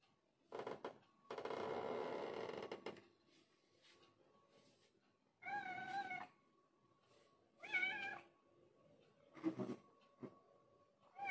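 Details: Adult village cat, once feral and growing tame and affectionate, winding around legs like a snake indoors; two drawn-out, wavering meows mid-clip and a shorter low one, after bursts of broadband rustling, over a faint steady hum.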